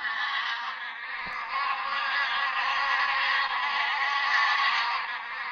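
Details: Bee buzzing as an unbroken, rich humming drone that stays steady and slightly swells through the recording, with one brief click near the start.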